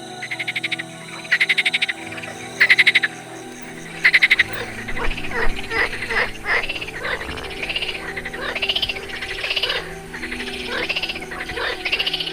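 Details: European tree frogs in the Săcueni protected area, Romania: males calling in a dusk and night chorus near ponds where females lay eggs. Loud bursts of rapid rasping croaks, then a dense overlapping chorus of repeated pulsed calls.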